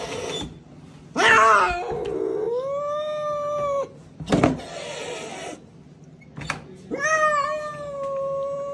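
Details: Angry cat at a vet clinic giving long, drawn-out, steady-pitched howls with rich harmonics, broken by short, sharp noisy bursts and rustling between the cries.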